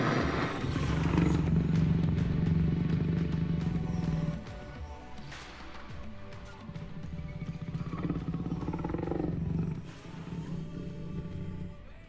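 A tiger gives two deep, rumbling roars, low and throaty, with a quieter pause between them.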